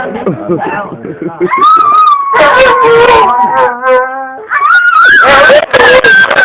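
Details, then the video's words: A dog 'talking': short choppy yips and grunts give way to long, loud, wavering howl-like moans that rise and dip in pitch, broken by brief pauses, with a quavering steady tone in the middle. "Amazing Talking Dog!"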